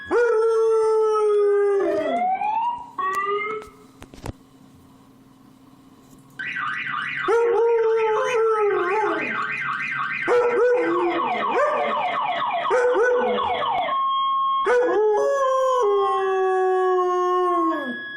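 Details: A 1-year-old Siberian Husky howls in long, drawn-out notes that slide downward in pitch.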